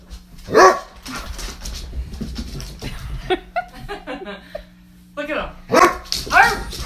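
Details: Basset Hound at play, giving a loud, harmonically rich bark early on and two more sharp barks near the end, with quieter voices and scuffling sounds in between.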